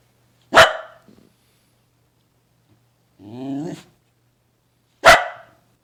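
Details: A pet dog making funny sounds: one loud, sharp bark, a brief low grumble, a short wavering whine after a pause, then a second loud bark about four and a half seconds after the first, in near silence.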